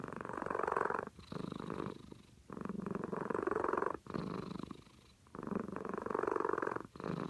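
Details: Snoring from a sleeping cat: buzzy, vibrating breaths rise and fall in regular cycles of roughly one and a half seconds, about five rasping breaths in total.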